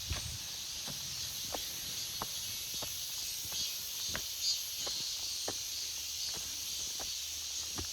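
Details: August forest full of cicadas: a continuous shrill, hiss-like drone rides high and level throughout, while scattered crisp clicks, possibly footsteps, sound about once a second below it.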